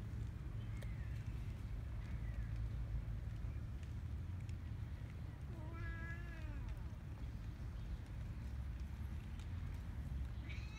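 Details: Cats and kittens crowding around people on Cat Island: one clear, drawn-out meow rising then falling near the middle, a fainter meow early on, over steady low rumbling background noise.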